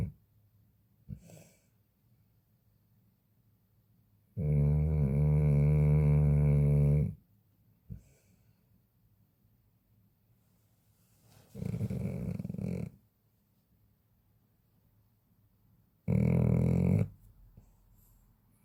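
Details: Large Chow Chow dog sleeping and snoring loudly indoors: long, deep, droning snores of two to three seconds with a buzzing, harmonic rattle, separated by quiet pauses and soft breaths.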